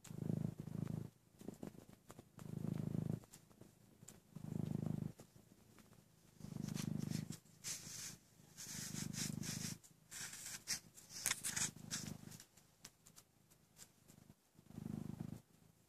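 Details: An about 11-month-old Maine Coon, weaned before 5 weeks, suckles on a blanket while purring deeply in rhythmic, low throbbing pulses that rise and fade with each breath about every two seconds, with soft wet clicks and rustling.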